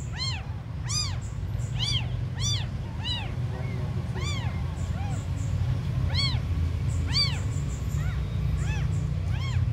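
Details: Very small abandoned kittens give repeated thin, arched mews, roughly one every half second at first and then more spaced, sharp and high-pitched, with a constant low hum underneath.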